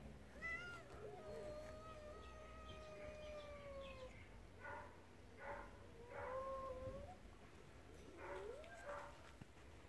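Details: Spayed mother cat, formerly wild, guarding her two kittens near the tigers' fenced area on a rescue property. A long, drawn-out steady meow is followed by several shorter wavering calls over a low wind rumble.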